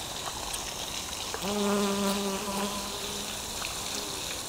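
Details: Busy bees at work in a lotus flower, having to slalom among the stamens. A louder, droning buzz swells after the first second and a half, holds for about two seconds, then fades back to a faint hum over steady background hiss.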